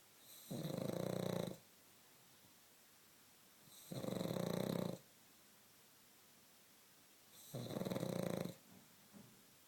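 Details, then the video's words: A pug sleeping indoors snores in long, even, rasping breaths, each roughly one second long and separated by about two seconds of quiet, in a small, still room. "Snoring pug"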